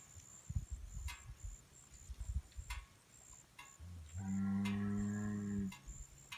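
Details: Hereford and Angus bulls lowing, a single deep, steady moo of about one and a half seconds following several seconds of scattered clicks and knocks in the background.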